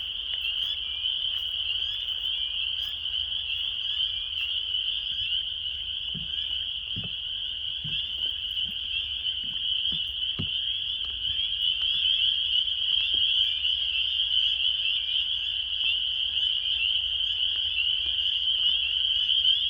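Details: Hundreds of frogs mating at a local pond in a park in March, as warm weather returns before spring, form a dense chorus with a steady, high, shrill ringing.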